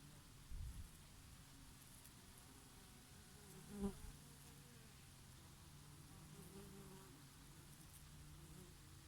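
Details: Summer bees feeding on oregano blossoms: a low, even buzz with a brief louder pass near the middle as one flies close, over a soft breeze.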